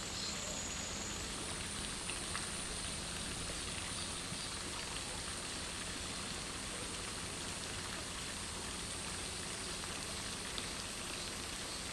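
Steady rainfall hisses throughout, with no animal calls standing out.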